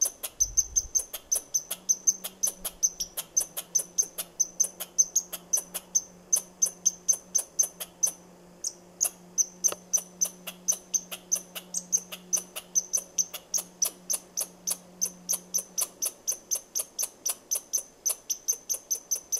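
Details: A squirrel chirps at the person filming, giving a long unbroken run of sharp, high chirps, roughly three per second, steady and insistent, over a quiet low hum through most of the recording.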